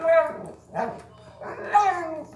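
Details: Mia, a constantly hungry pet dog dubbed the bottomless pit, begs for food with expressive 'talking.' Two loud, wavering, howl-like phrases are separated by a brief lower grunt, all harmonic and voice-like, in a small room.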